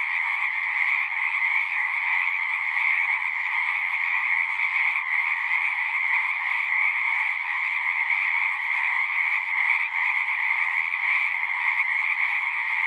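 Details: Many frogs calling at once in nature, their croaks blending into a constant shimmering buzz that neither rises nor falls, an unbroken wall of sound with nothing else standing out.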